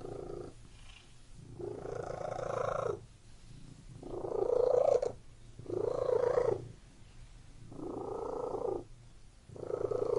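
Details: Domestic cat purring close up, loud rumbling bursts of about one to one and a half seconds alternating with quieter gaps, a steady low hum running underneath throughout, in a quiet indoor setting.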